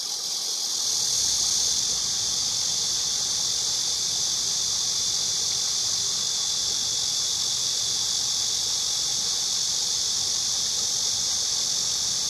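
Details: Cicada song: a dense, hissing high buzz that swells during the first second or so, then continues as a constant, even drone without breaks.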